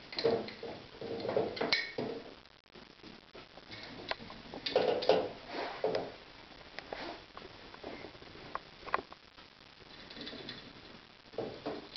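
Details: Dishes, pans and cutlery clink and rattle, with a drawer sliding in a small indoor room. No clear animal call stands out above the clatter.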